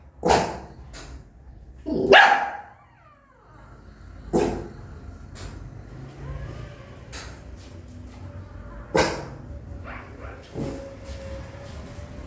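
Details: Angry mother dog barking loudly at her newborn puppies: a handful of sharp, harsh barks spaced a few seconds apart, with quieter scuffling and faint whimpers in between.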